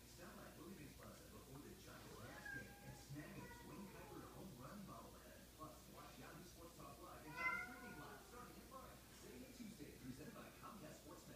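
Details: Cats calling to gather the pack: a chorus of drawn-out, bending meows overlaps across the clip, peaking in one loud, strained cry around seven and a half seconds, with faint voices and a low background hum.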